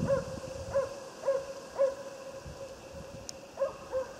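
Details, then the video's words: Swedish Elkhound Otis on a moose hunt, giving far-off, clear barks at an uneven pace, roughly two a second, with a short pause before the last pair; a faint constant hum persists. "Älgjakt med jämthund"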